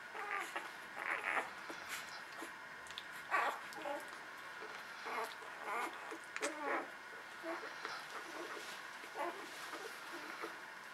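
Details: Newborn puppies nursing make soft, high, squeaky whimpers and short squeals in scattered bursts, some wavering, several overlapping, over a steady quiet hiss.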